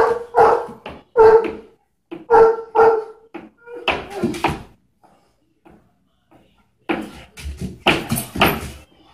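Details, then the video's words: Irish Wolfhound, a giant dog breed, barking: about five deep, harmonic barks in the first three and a half seconds, then a short pause, followed by rougher, noisier bursts near the end. "Irish Wolfhound"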